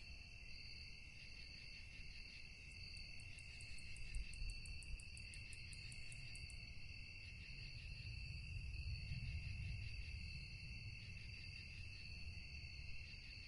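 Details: Crickets calling at night amid calm stillness: unbroken high, layered trilling, joined for about four seconds by a rapid series of very high, evenly spaced ticking pulses, over a low rumble.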